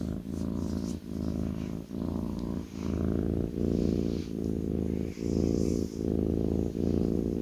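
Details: Close, deep purring of a kitten curled on its owner's lap: an even, vibrating rumble broken by regular soft breath pauses under a second apart.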